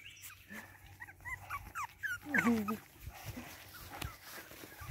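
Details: Boston Terrier puppies from one litter give thin, high squeaks and a wavering, bending whine in quiet indoor-like surroundings, with soft rustling and low human voices nearby.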